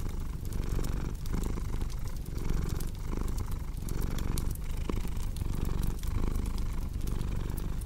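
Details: Domestic cat purring beside a crackling fireplace, a steady low rumble pulsing in roughly two-thirds-second cycles with sharp crackles and pops from the fire throughout.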